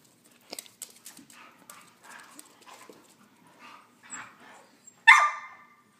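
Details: Young Husky, Chihuahua and Lab mix pup at play-wrestling: soft scuffles, faint whimpers and breathy sounds, then one sudden loud, harsh bark just before the end.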